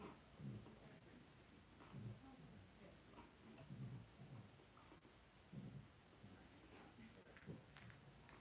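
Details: Two-week-old blenheim Cavalier King Charles Spaniel puppies, a litter of five born on New Year's, in an indoor puppy pen; soft low grunting pulses recur every couple of seconds against a faint hiss of room noise.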